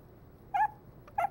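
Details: Male Pomeranian puppy, born on 9-8, held indoors: two short high yelps about half a second apart, in a quiet room.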